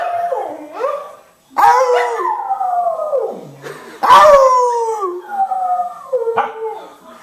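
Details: Cardigan Welsh Corgi, a male, singing along with a man: wavering howls rising then falling, three main long notes with short pauses between, a human voice blending in.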